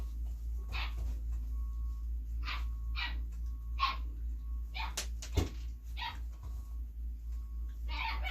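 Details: Belgian Malinois female puppy born 26 September 2021, being hand fed indoors: short, sharp yips and barks repeated at uneven intervals of about a second, over a steady low hum and a faint thin tone.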